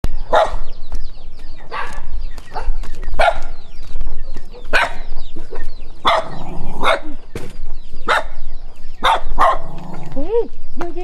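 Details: Dog barking at a stranger while running, short sharp barks repeated roughly every second, some broken into double barks, with a brief whine near the end and low background rumble.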